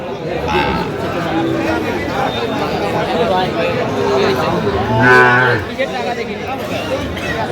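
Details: Sahiwal bull calves at a cattle market where farmers from Dhaka are buying, 15 November 2025: one short, low, harmonic moo near the end, rising briefly over constant crowd chatter and bargaining voices.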